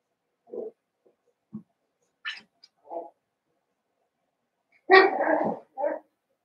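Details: Daisy's seven-week-old Cavalier King Charles Spaniel puppies, kept in a pen in the middle of a family home, give faint intermittent whimpers and squeaks, then a louder, longer burst of yapping near the end.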